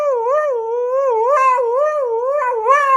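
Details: Siberian Husky talking: a continuous wavering howl-like vocalisation that rises and dips in smooth waves for three seconds, loud and clear.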